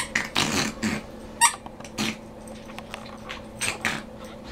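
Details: Benji, a Morkie (Maltese/Yorkie) rescue dog, snorts and snuffles from a chronic nose problem, not growling, during his morning play session in an office: short breathy bursts, about five in four seconds, over a steady low indoor hum.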